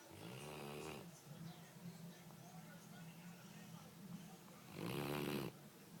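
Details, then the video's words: Dee dee and Lillie, two dogs asleep, snoring: a harsh, low, buzzy snore opens the moment, then a softer stretch, then a second loud rasping snore near the end, with quiet room noise throughout. "Snoring dogs"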